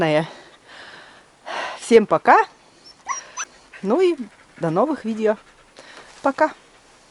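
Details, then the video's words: Siberian husky in her heat period, howling each night at a village home in snowy countryside: a series of short, wavering, voice-like howls that rise and fall in pitch, separated by brief pauses. "Страшный вой хаски!"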